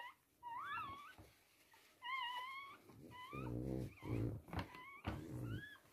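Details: Toy Poodle birth of three girl puppies, in a small room; high, quavering whines recur over low, rumbling noise and a muffled voice partway through.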